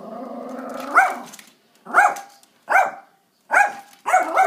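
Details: Little Yorkshire Terrier named Max facing off with a squirrel over bird food, giving short sharp barks, some with a growl, spaced about a second apart in a run of five, preceded by a low growling whine.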